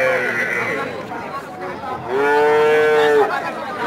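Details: Cows among many gathered together, with Bengali-speaking men bargaining over prices in the background; a long, steady, harmonic low moo lasting about a second follows the chatter.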